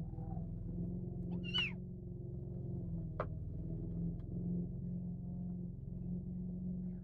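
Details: Kitten protecting its food with a single sharp, falling meow early on, followed by a click and a steady low hum.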